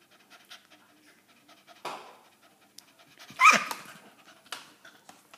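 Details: A hyperactive female Staffordshire Bull Terrier pants in harsh, rasping bursts, like a saw drawn through wood.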